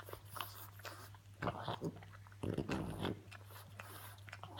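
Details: Female French Bulldog pet making funny noises indoors: a few short, rough snorting grunts in two bursts around the middle, over a steady low electrical hum in a small room.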